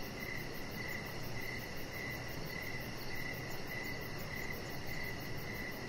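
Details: Evening deck setting with a Chihuahua puppy, crickets calling steadily. Clean chirps repeat about every half second, even and unbroken. A faint, rapid high shimmer of pulses lies above, with a dull low hiss underneath.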